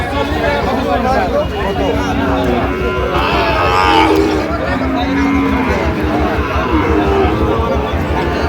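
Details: Sahiwal breed bull calves at a cattle market bought by a Dhaka farmer, Bangladesh, 3 October 2025; drawn-out low moos sound several times beneath constant loud bargaining voices and crowd chatter.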